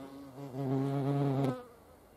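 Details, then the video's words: A single hornet close by at a feeding place makes a short, loud, deep droning buzz lasting about a second, rising in then cutting off. "Hornissen am Futterplatz. hornets at food."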